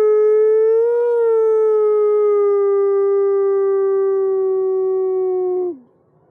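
A wolf gives a long, steady howl that rises slightly, then slowly sinks and drops off at the end.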